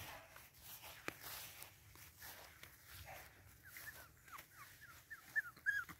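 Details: Boston Terrier puppies of Wiggle's litter: soft, scattered high whimpers that build in the last two seconds into sharper, louder squeaky cries, against a quiet background with a single click early on.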